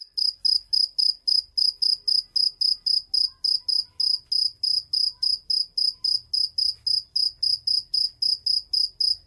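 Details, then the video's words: Cricket producing a continuous run of shrill chirps, roughly three to four each second, crisp and evenly spaced, with only faint low-frequency room noise behind. "Cırcır böceği sesi"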